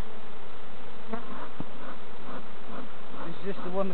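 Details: Colony of honey bees buzzing as novice beekeepers open and check their hives in a community garden allotment; thick, steady hum with wavering tones, plus a single sharp knock and murmured speech toward the end.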